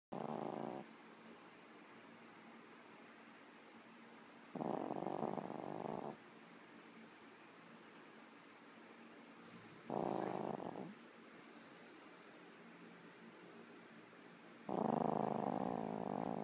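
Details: Yorkshire Terrier in very deep sleep, snoring loudly: four broad, rasping snores, each lasting about one to one and a half seconds and coming roughly every five seconds, with quiet breathing between them in a still room.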